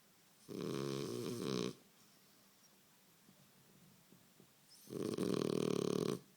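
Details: French Bulldog asleep and snoring, two long rattling breaths about four seconds apart, each lasting over a second, with a hushed room in between.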